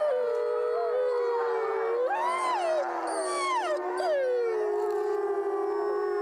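Several gray wolves howl together, long smooth tones overlapping, some held low and steady while others swoop up and fall back in pitch.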